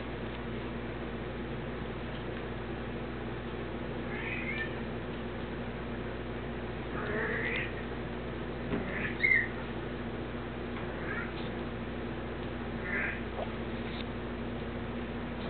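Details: Kittens giving a scattered series of short, thin, high meows over a steady low electrical hum.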